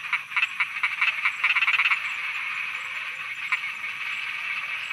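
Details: Frogs croaking at night in Thailand, a dense chorus of short pulsed croaks around a steady high hum, with a quick rattling burst of rapid notes in the second second and scattered louder calls later.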